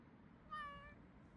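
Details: Two-year-old pet Bengal cat named Kitty, filmed on her birthday, gives a single short meow that swells in and fades out with clear harmonics, followed by a quiet room.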